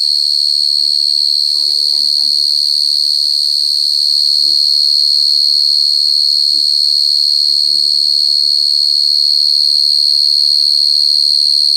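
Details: Cricket trilling steadily at a very high pitch, one continuous ringing tone that never breaks, while soft human voices murmur quietly underneath.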